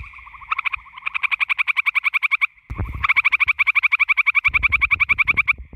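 A gray tree frog gives loud, musical trills of rapid pulses, each lasting about two seconds.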